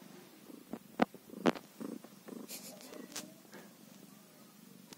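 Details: A one-day-old kitten purrs in a low, steady rumble, broken by a few sharp clicks and brief louder bursts of handling noise.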